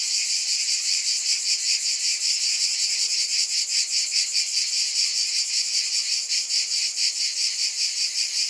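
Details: A steady wall of high cicada buzzing, layered in bright bands and throbbing rhythmically, roughly two or three beats per second, with no other sound behind it.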